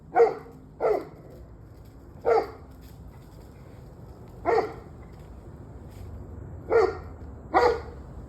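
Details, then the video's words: Single dog barks, some doubled, spaced irregularly about one to two seconds apart, recorded on 21 November 2023 at 7:06 pm; a steady low hum lies underneath. "26 Minutes of Barking Dogs"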